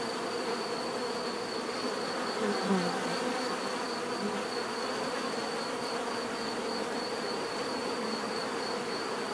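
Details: Dense natural buzzing of many bees, a steady droning hum with a single bee buzzing louder and closer for a moment near the middle, over a thin continuous high whine.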